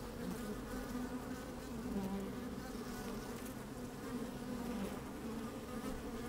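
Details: Inside an opened beehive on a sunny, slightly windy day, worker honey bees keep up a dense continuous drone, with wavering buzz tones rising above the low hum from bees moving close to the microphone.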